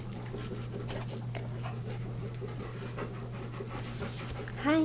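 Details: Pet dog panting steadily in a small indoor room while shaking paws with its owner, quick rhythmic breaths under a constant low electrical hum, a person's voice greeting it briefly at the end.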